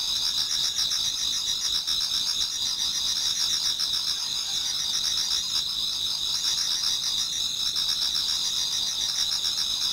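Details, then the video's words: Insects singing in a Japanese garden near dawn in autumn: steady shrill high trilling in two bands, punctuated by quick lower chirps pulsing about four times a second, the chorus unchanging in loudness. "Autumn Insects voice Towards dawn"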